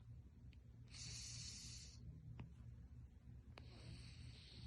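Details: Storm, a fourteen-year-old Russian Blue cat, snoring while asleep: two breathy, hissing snore breaths about a second long, separated by a quiet pause, over a steady low hum.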